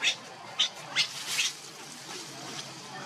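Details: A hungry infant monkey cries for its mother's milk: four sharp, high-pitched squeaks at roughly half-second intervals, then fading to quiet background hiss.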